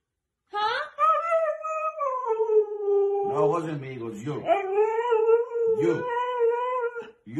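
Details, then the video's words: Siberian Husky puppy, part of a compilation of dramatic husky behaviour, giving long wavering howls and whining vocalizations that slide up and down, with brief overlapping human voice and background music. "Dramatic Husky's Behaviour"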